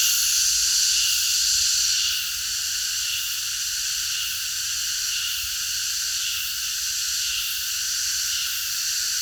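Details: Many cicadas singing together at night in a park: a dense, shrill, unbroken buzzing drone high in pitch, slightly louder for the first two seconds, then holding steady with faint rapid pulsing.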